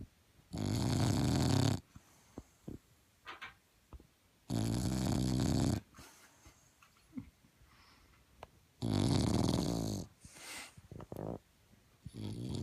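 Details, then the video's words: Snoring Bulldog puppy named Zeus: three loud, gravelly snores come roughly every four seconds, each a deep, rattling rumble over a second long. Softer snuffling breaths sound between them in a quiet room. "Bulldog puppy ZEUS snoring"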